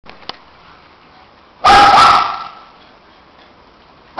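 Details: Two shih tzu dogs playing hard together; one long, harsh, loud bark after a quiet stretch, then another bark starting at the very end.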